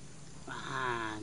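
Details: Pet cat wanting to mate in the morning, giving a short harmonic-rich yowl that rises and holds, about a second long, over faint background hum.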